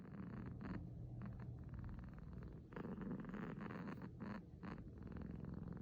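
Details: Uiro, a six-month-old male kitten born 9 August 2020, purring after waking: a low, rough rumbling purr with brief breaks and a few soft rustles.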